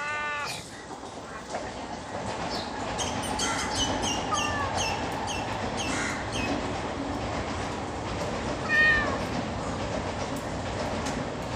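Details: Stray cat being fed, recorded 29 January 2024 at 4:20 pm; several short harmonic meows, some rising then falling, scattered through a steady broadband rumble like passing traffic or a train.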